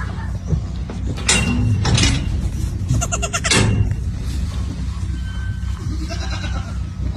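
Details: Goat bleating in a few short harmonic bursts in the first half, over steady background music, with a person's voice urging it on just before.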